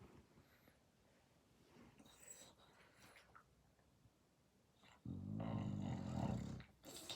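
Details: Dog snoring loudly in its sleep. After several seconds of quiet shuffling comes a long, rough, low rattling snore of over a second, followed by a brief softer breath.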